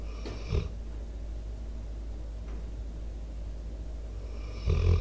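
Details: Four-year-old Pit Bull named Debo, an American Staffordshire Terrier mix, snores close to a microphone: a short, gravelly snore at the start, about four seconds of faint breathing and low outdoor hum, then a louder rattling snore.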